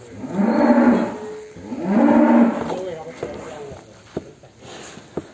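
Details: Restless, agitated cattle coming out of the pen give two long, low moos, then quieter knocking and clattering sounds follow.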